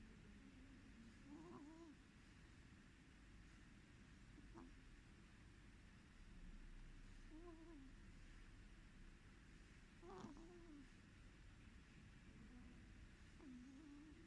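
A sleeping cat snores softly, each breath ending in a thin, squeaky whistle about every three seconds.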